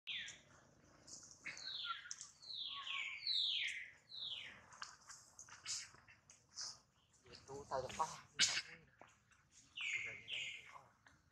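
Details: Baby monkey Duke, hurt after failing to catch hold of his mother, with mother Duchess worried nearby; loud high, falling, whistle-like screams in rapid series, several in a row, then a pause with faint clicks and another pair of cries.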